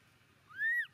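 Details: Baby monkey Momo crying loudly on rocks as his father leaves him; one short, high, tonal squeal that rises then arches down with bright overtones, lasting under half a second after a quiet stretch.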